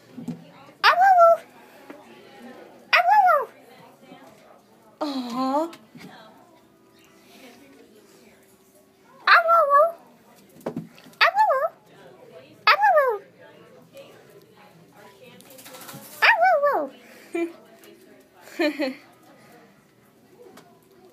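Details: Siberian Husky puppy at a pet store, energetic while being coaxed to say I love you, answering with a series of arched, wavering howl-like whines every second or two, some with rising tails; a woman speaks between them.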